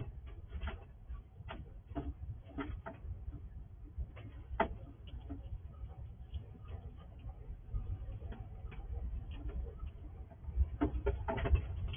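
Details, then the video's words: At night a wild squirrel visiting a house feeds in the dark, filmed with night vision; fast, uneven ticking nibbles roughly twice a second, soft and dry, with a low rumbling background. "Squirrel eating in the dark"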